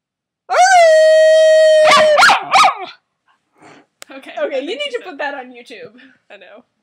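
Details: A puppy howling: a long, steady, clear tone held for over a second, then two wavering, rising-and-falling howls, followed by a person talking for the last few seconds.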